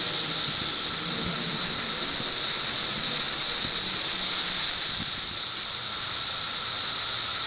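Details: Steady periodical cicada chorus recorded in 2008, a dense shrill hiss holding constant throughout, with a faint lower droning tone underneath and a few soft low knocks.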